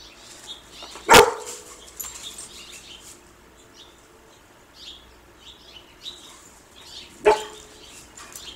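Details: Dog barking while chasing a squirrel named Bob: two sharp, isolated barks about six seconds apart, with quiet outdoor background and faint high chirps between them.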